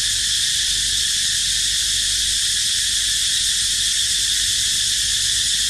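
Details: Cicadas keep up a flat, intense high-pitched whirring buzz, even and continuous from start to finish, with no other clear sounds, while the baby monkey Dito rests.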